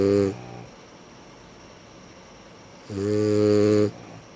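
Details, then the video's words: Dogs Sara and Ran snore: two loud, low, droning snores with a buzzy rattling tone, one brief at the start and a longer one lasting about a second near the end, separated by quiet breathing. "さら＆らん のいびき"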